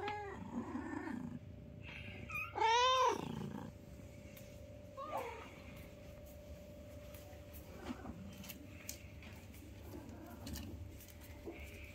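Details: Newborn kittens with their mother: one loud, strained meow that rises and falls, preceded by a softer cry, then mostly quiet hum with faint clicks and rustles.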